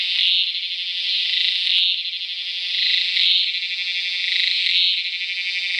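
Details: Tacua speciosa cicada calling in Peninsular Malaysia on 11 May 2014: a loud, continuous high buzzing drone that swells into brighter pulses roughly every one and a half seconds, steady throughout.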